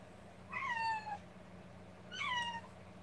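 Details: Two drawn-out meows from a rescued kitten cuddled by its carer, each starting high and sliding down, spaced about one and a half seconds apart against a constant background hum.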